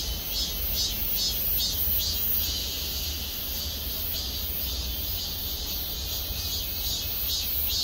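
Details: Cicadas singing together in parking-lot trees at Gwangmyeong city hall, South Korea; a shrill, pulsing buzz that throbs roughly twice a second, steady throughout, with a low background hum beneath.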